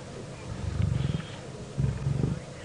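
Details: Lions (a lioness with cubs) at a carcass on a late-afternoon sunset safari drive in a South African game reserve, 2 June 2017, growl in two deep, rumbling, throaty bursts of about a second each, with a pulsing rasp, amid squabbling.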